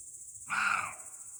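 A roe deer gives a single hoarse, rasping bark against a steady high insect trill.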